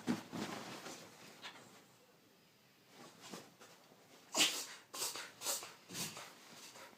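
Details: Benson, a 9-month-old puggle puppy, reverse sneezing: a series of rapid, harsh snorting inhalations in bursts, quiet pauses between, the loudest run of snorts coming near the end.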